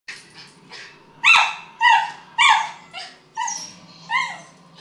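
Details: Miniature Schnauzer barking while 'fighting' a happy birthday balloon indoors: a run of about six sharp, harmonic-rich barks, some rising then falling, spaced roughly half a second to a second apart, with a few softer yips at the start.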